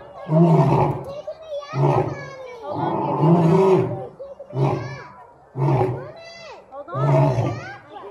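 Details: A captive lion at Franklin Park Zoo roars in a series of six deep, heavy, grunting bursts, roughly one each second, with children's voices heard among them.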